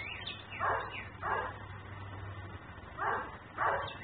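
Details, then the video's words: Nuisance barking from a dog kept outside in Mecklenburg, camera recording: two rapid pairs of harsh barks separated by a short pause, faint high twittering at the start, low background hum. "Barking dog"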